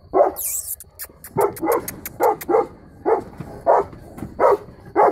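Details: Three-year-old female Saint Bernard barking as a guard dog: a run of about nine deep, full barks in quick succession, with a few sharp clicks and a brief high rustle near the start.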